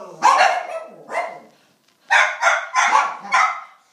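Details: Pedigree miniature schnauzer puppies barking: two rough, mid-pitched barks, a second of silence, then four quick barks in close succession, with no other sounds.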